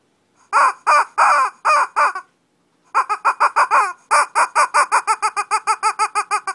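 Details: Mini fight between Shih Tzu dogs in Kochi, Japan: a few loud, drawn-out harmonic yelps, a short pause, then a fast, even run of sharp high yips quickening toward the end.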